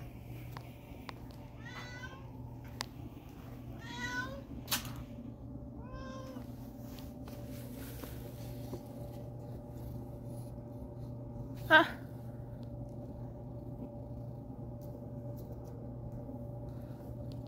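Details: Kitty Meow Meow, an old, dirty but friendly cat kept outdoors, seemingly thirsty and given water, utters several short, soft, rising-falling meows early on over a steady low hum, with a sharp click near the end.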